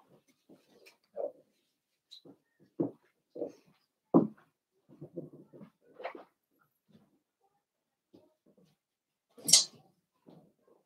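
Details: Puppy pen litter of five blenheim Cavalier King Charles Spaniels born at New Year, kept indoors; soft short grunts and whimpers scattered irregularly, building to one louder high-pitched squeal near the end, in a quiet small room.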